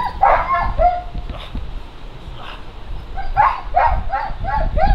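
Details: German Shepherd giving barks during stress resilience training, with high whining, yelping notes at the start and a quick series of clipped barks near the end over steady low background noise.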